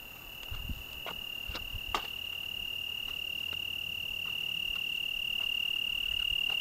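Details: Italian tree cricket singing on a June evening in the Algarve, Portugal: a steady, unbroken high trill held on one pitch, with soft wind and a few faint clicks and taps beneath.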